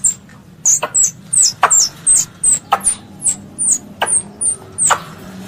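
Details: Squirrel, described as a pest, calling its mother: a series of high, thin squeaky chirps that drop sharply in pitch, each paired with a sharp click. About twelve notes arrive roughly every half second over a faint low hum.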